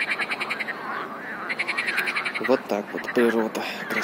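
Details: Chorus of frogs with rapid pulsed, trilling croaks repeating in short bursts, joined midway by a human voice speaking over the calling frogs.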